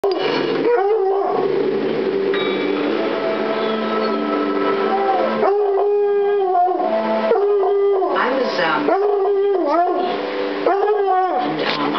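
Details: Black and Tan Coonhound reacting to a newly arrived kitten indoors: a series of loud, wavering bays and howls, each rising and falling, coming in bursts after a stretch of human speech.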